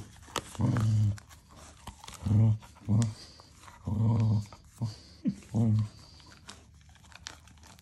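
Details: Young Cocker Spaniel at play with an oversized basketball inside a small room: deep, throaty growling bursts, each roughly half a second, coming every second or so, with brief thuds and soft human speech behind.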